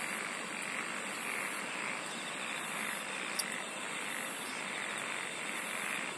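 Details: Insects singing in a dense nighttime-style chorus: bursts of high, finely pulsed buzzing come and go every second or so over a steady hiss and a softer mid-pitched throbbing, possibly with frogs croaking in the background.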